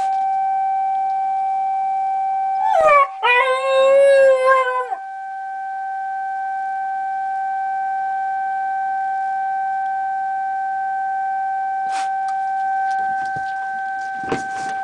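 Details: Pet dog Hachibe howling along with the memorial silent-prayer siren from the disaster-prevention radio on August 9, the Nagasaki atomic bombing anniversary. A rising, then sustained, wavering howl lasting about two seconds over the steady siren tone. Faint clicks follow later.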